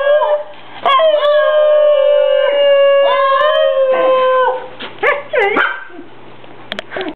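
Two Basenjis howl together in a duet, with long sustained yodelling notes that swoop and break.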